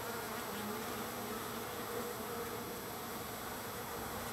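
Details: Wild bees crowding a feeding site, third day of feeding, give a constant, thick buzzing hum that stays level and unbroken for the whole stretch.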